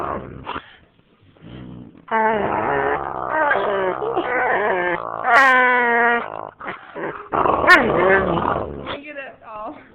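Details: Husky and boxer dogs playing together at home, one trying to sleep on a lap while the other pesters her; loud drawn-out harmonic growling moans and yowls, rising and falling over several seconds, with a person talking between outbursts.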